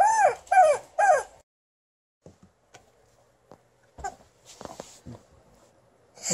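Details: Alaskan Malamute Liza, angry at her new chicken toy, lets out three quick arching harmonic yips in a row, then near silence with faint taps and rustles before another sound begins.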